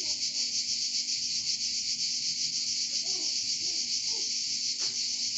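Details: Relentless pulsing buzz of cicadas in Provence, with faint scattered soft chirps underneath and a brief sharp click near the end.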